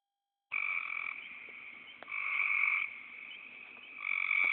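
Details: A frog gives long, nasal, snore-like croaks of about a second each, with quieter drawn-out croaking between the louder bursts. There is no other clear sound.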